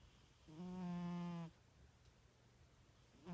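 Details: A pet cat asleep gives one low, droning snore lasting about a second, steady in pitch with a rich buzzy tone, followed by quiet room hiss and the start of the next breath.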